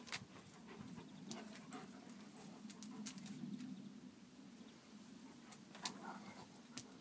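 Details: Kuvasz pair Hunok Gyöngye Bársonyka and Megyeri Nomád Csatár at their daily competition, 4 March 2014: continuous gravelly low rumbling runs throughout, punctuated by brief sharp taps and knocks.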